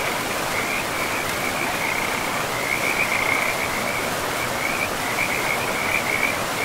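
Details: Forest river frogs give a continuous run of high, rapid trilling croaks that swell and fade in short bouts, all set against a dense, even roar of the river.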